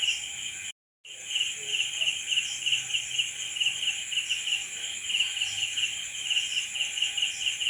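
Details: Crickets at night giving a steady, high, pulsing trill in rapid regular beats, several layered chirping voices at different pitches, brief dropout to silence near the start.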